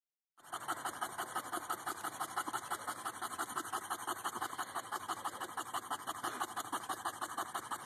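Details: An English Bulldog pants steadily in rough, breathy puffs about three times a second, on a hot day.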